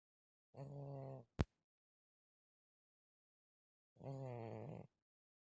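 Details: Malysh, a pet cat, snoring in his sleep in a Russian village on 4 December 2024: two drawn-out, rough, buzzy snores about three seconds apart, with one sharp click between them.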